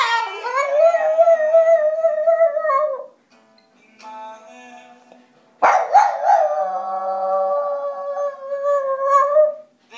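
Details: Binks, a Boston terrier, howls along indoors to his favourite song, Innocent Son by the Fleet Foxes: two long, sustained, wavering howls. The first lasts about three seconds. The second starts abruptly and is held steady, with quieter music in between.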